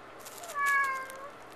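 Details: Tux, a pet cat shut in the bathroom at night and wanting out, gives one clear drawn-out meow lasting about half a second, its tone rising and then falling, in a small quiet room.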